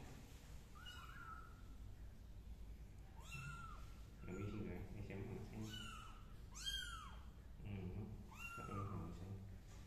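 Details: Kittens crawling on a carpet give a string of thin, arching meows, about one every second or two, rising then falling, while a person talks in Vietnamese beneath them.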